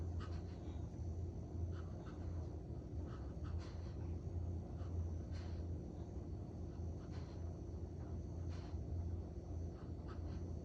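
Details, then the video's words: Collie loudly snoring while resting, tired after three hours of walking and training in the park; deep low rumbling breaths swell and fade about once a second under a steady low hum, with faint higher clicks scattered through. "Collie loudly snoring"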